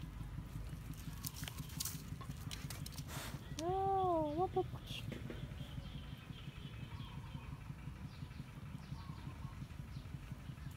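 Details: Siberian Husky giving one drawn-out whine-howl, about a second long, that rises and then falls with a wavering tail. It plays over steady rhythmic low thumping, with a person talking to the dogs before and after.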